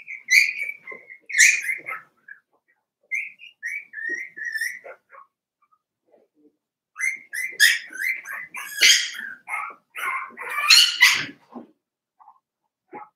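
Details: Daisy's litter of Cavalier King Charles Spaniel puppies, four weeks old, in a pen: thin whistled whines held steady and high, coming in runs, overlapping squeals building into a busier chorus in the second half.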